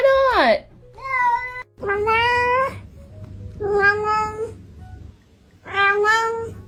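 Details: Cat meowing indoors: a quick falling meow, then four longer, strained, fairly steady meows spaced about one to two seconds apart, with human voices mixed in.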